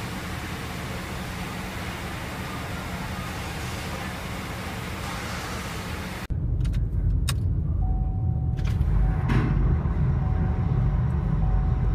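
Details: Steady low vehicle rumble fills the first six seconds, then drops to a quieter engine drone with a faint held tone, a few sharp clicks and knocks; no animal voice is heard.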